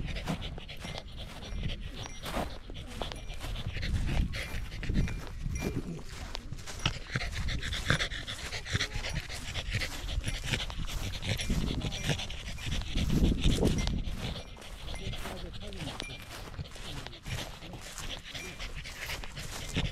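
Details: Pembroke Welsh Corgi panting on a hike up a rural mountain in Japan with views of the central Japanese Alps and Ina Valley, sunny day before autumn colours. Fast, breathy huffs come about four per second, steady and rough, with faint voices.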